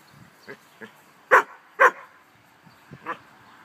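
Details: Barbet father and son dogs having fun in a pool on a hot summer day; a couple of soft yips lead into two loud barks close together, then a fainter single bark.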